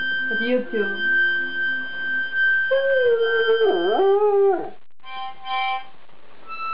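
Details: Two-year-old Afghan Hound howling along to harmonica music, wavering mid-pitched howls sliding up and down between steady harmonica tones, then a pause and brief harmonica chords.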